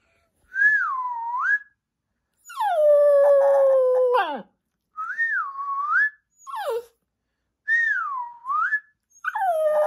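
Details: Pet dog howling in reply to its owner's whistling: clear, wavering whistled phrases dipping and rising alternate with the dog's long, slightly falling howls of about two seconds that drop at the end.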